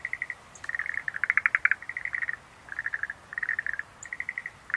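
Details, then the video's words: Schlegel's green tree frog calling in a natural setting: short bursts of rapid, rattling chirps, each burst under a second long and separated by brief pauses, with occasional high faint ticks in a quiet background. "Rhacophorus schlegelii"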